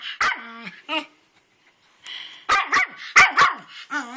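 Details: Twitch the dog, seemingly freaked out, barks at a flower-bed rock he treats as alive, outside in rainy weather. One early bark, then a run of four loud, abrupt barks, with a person talking in between.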